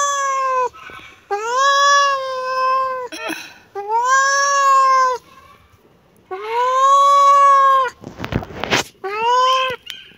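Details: Kitten calling insistently, long sustained meows one after another with brief pauses, plus a short burst of rustling noise near the end before a last cry.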